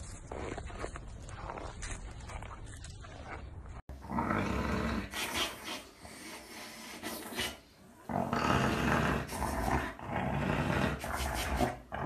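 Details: Key the husky, a pet dog, vocalizes in drawn-out, wavering howl-like tones that rise and fall over several seconds after a person invites it to sing along; a shorter vocal burst follows, with soft thumps and room noise behind.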